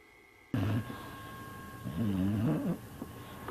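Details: Dog asleep, giving a low, wavering, guttural snore. One brief rumble is followed after a short gap by a longer, rising-and-falling groan-like breath, over faint room hum.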